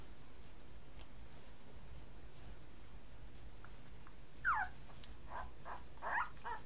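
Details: Nine-day-old Entlebucher Mountain Dog puppies from a litter born 26 September give two brief squeaky whimpers. The first is a sliding squeal midway through and the second comes near the end, over a quiet, steady background hiss.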